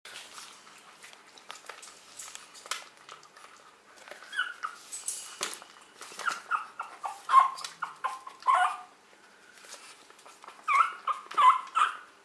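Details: Pug puppy weighing 600 grams, indoors, eagerly eating while being fed; soft, irregular high whimpers and squeaky grunts amid eating noises, growing denser toward the end.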